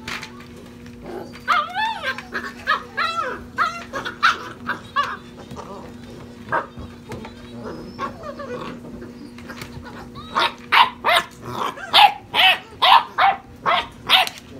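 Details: Litter of European Basset Hound puppies, six and a half weeks old, playing wildly: high whining yelps with wavering pitch early on, then a run of sharp yaps roughly every half second near the end, over a steady low hum.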